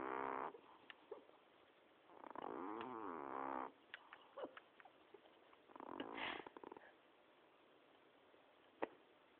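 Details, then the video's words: Miash, a pet cat, snoring: three long rasping breaths about a second or more each, separated by quieter pauses, with scattered faint clicks and a sharp tap near the end. "Miash the snoring cat"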